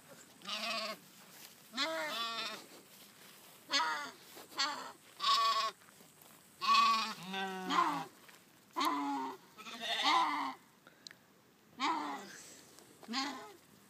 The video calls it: Funny sheep noises